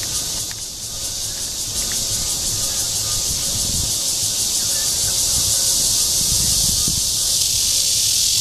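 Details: A red-veined bear cicada (Cryptotympana holsti) sings its courtship call in Guangming Park, Zhongli, Taiwan. The bright, hissing buzz builds slightly in loudness and then holds steady, with faint low traffic noise beneath.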